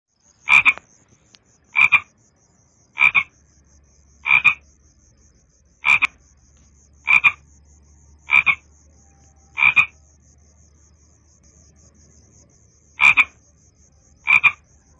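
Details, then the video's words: Frog calling in short, sharp croaks repeated about every one to one and a half seconds, with a pause near the middle; a faint steady hum runs underneath. "Frog Sounds"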